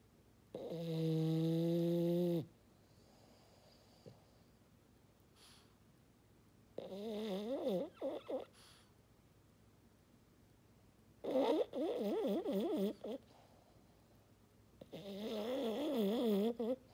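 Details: Snoring French Bulldog named Maddi, a fog-horn sound: four loud snoring bursts roughly every four seconds, one steady and tonal, the others warbling and wavering in pitch, with quiet breaths between.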